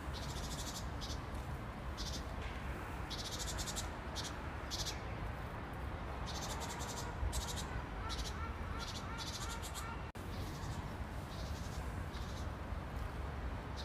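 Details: Grasshopper sound in nature: buzzy, high, raspy bursts come in irregular trains of rapid pulses, each lasting about a second, over a steady low rumble of background noise.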